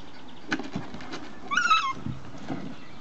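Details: Six-week-old puppies of the Z-litter in a ball pit: one short, high, harmonic yelp with a slight wavering fall lasting under half a second, amid soft knocks and rustling clatter.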